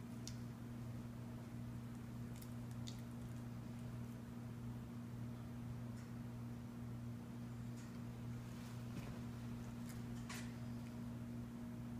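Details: Quiet indoor room with a steady electrical hum and scattered soft rustles and taps, with no animal voice.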